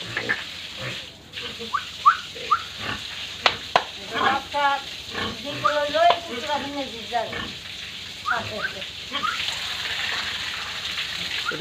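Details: Squealing pigs at a farm in Tripura: short clustered harmonic squeals and grunts come in a dense burst near the middle, with scattered sharp knocks and a hissing background.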